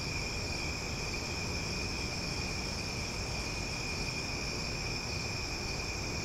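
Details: Loud cicadas at night in Omaha: a steady, unbroken high drone with bright continuous tones layered high up, no pauses or rhythm, over a low rumbling background hum.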